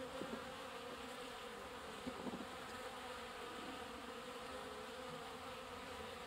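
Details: Water-carrying honey bees pumping water at a drinking place make a dense, even humming buzz with steady overtones, a few louder close fly-bys in the first seconds.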